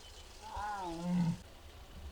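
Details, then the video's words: Mugung, a six-year-old captive tiger at Bonghwa's Tiger Forest in South Korea, gives one of its strange sounds on an April afternoon in 2026: a short, low, tonal moan that dips in pitch before fading, with a quiet background. "무궁이 아프다? 알코올 먹고? 이상한 소리들"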